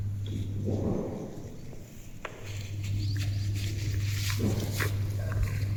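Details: A pet female cow in a village, vocalising toward her owner as if talking: two short, low, breathy moo-like grunts around the first second and again near four and a half seconds, over a steady low hum and light rustling.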